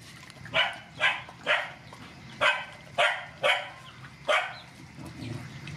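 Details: Rescue dogs, mother dogs with puppies, being fed; a run of seven short sharp barks, roughly every half second with a pause midway, against steady low background noise.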